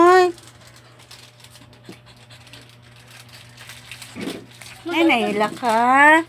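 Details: A dog crying in a small indoor space: a brief harmonic whine at the start, then near quiet with a low steady hum, before two loud wavering cries near the end, the last one bending downward in pitch.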